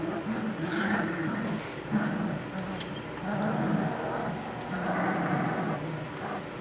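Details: Puppies just short of three weeks old, learning to use their voices, grumble and growl in a mock dog fight: low, rough, wavering growls come in bursts of about a second, with brief pauses between them, in a small indoor space.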